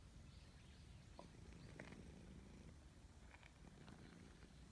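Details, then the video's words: A cat being petted outdoors in a forest purrs steadily, a low continuous rumble with soft rhythmic swells, while faint rustles and scattered light clicks sound over it. "Petting a Cat in the Forest Natural Sound"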